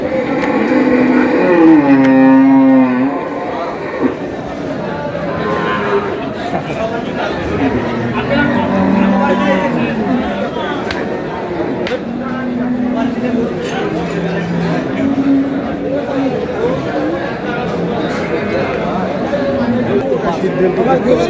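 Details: Cow with her calf at Ambari livestock market (আমবাড়ী হাট), Dinajpur, Bangladesh, on March 13, 2026: one loud, low, drawn-out harmonic moo near the start, then steady crowd chatter, men bargaining over prices and passing vehicles.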